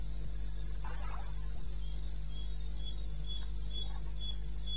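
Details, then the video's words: Night crickets chirp at 2:30 am on 21 May 2016 in wild eastern Botswana: evenly spaced, high ringing pulses about three each second, two callers interleaving, with a steady deep background drone. "1 Hour cricket sound-Africa"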